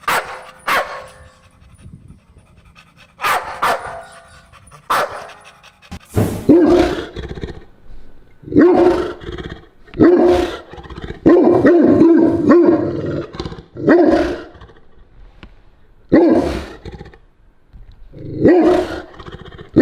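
A Cane Corso gives a string of strange, moaning, talkative barks in uneven bursts.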